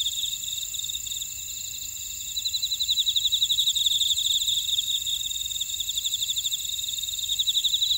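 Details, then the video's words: Grass insects in a buckwheat field at Oradong, Jeju City, on volcanic Jeju Island, South Korea: steady high ringing tones hum beneath, then from about two seconds in a rapid pulsed chirping trill rises and carries on to the end. "제주 메밀밭의 풀벌레 소리"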